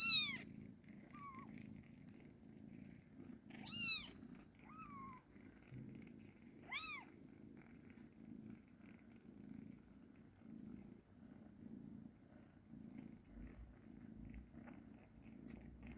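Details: Kitten purring steadily and softly throughout, broken by three brief, high mews near the start and middle.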